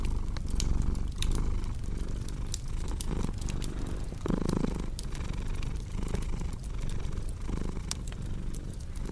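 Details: Cat purring in a low rumbling drone with rhythmic breath pulses, slightly stronger surge near the middle, over frequent sharp crackles and pops from a burning fireplace.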